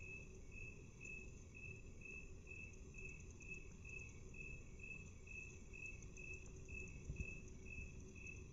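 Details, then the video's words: Half-speed playback of a chirping cricket, with evenly spaced high pulses about twice each second throughout and a steady low-pitched hiss and rumble beneath. "Cricket Chirping 1/2 speed"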